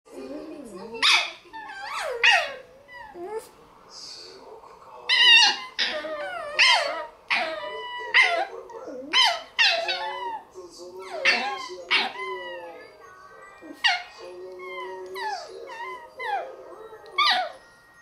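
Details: Shiba Inu dogs in a low-key squabble that wakes another Shiba; loud whining yelps and grumbling howl-like vocalizations, rising and falling, overlapping in bursts every second or two throughout.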